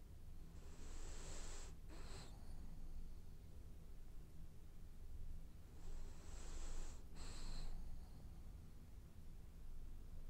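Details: French Bulldog asleep and dreaming, giving two wheezy, whistling snore cycles about five seconds apart, each split by a brief snort, with a low continuous hum beneath.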